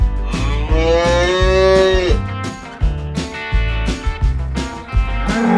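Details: Cow on a farm, lowing: a single long, tonal moo lasting nearly two seconds, steady then dropping at the end, over loud guitar music with a thumping beat.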